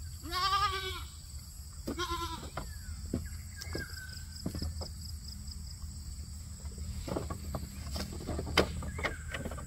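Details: Goat bleating while eating grass: two quavering nasal bleats in the first two seconds, then quiet scattered clicks and rustles against a constant high electrical-sounding whine and low rumble.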